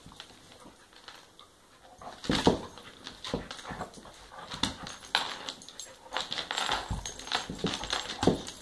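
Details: During play between a three-year-old American pit bull and an eight-month-old dachshund puppy, a quiet start gives way after two seconds to repeated sharp scuffling bursts and whimper-like yelps that continue at an uneven pace.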